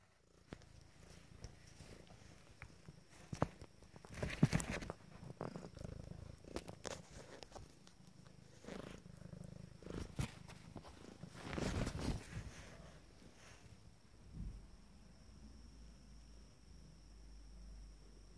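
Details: Abyssinian kittens from a first litter, fourteen days old, resting after a well-earned nap; a low, steady rumbling purr runs throughout, broken by rustling and soft bumps of movement.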